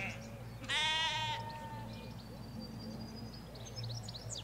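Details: Ewes and lambs in a Hampshire countryside sheep field: one clear, harsh, quavering bleat lasting under a second, then quiet rural air with a low traffic hum and scattered high bird chirps.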